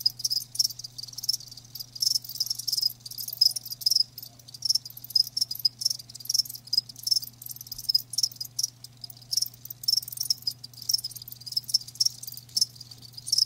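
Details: Steady shrill chirping of live crickets, rapid high pulses repeating densely with short pauses, accompanied by a low faint background hum.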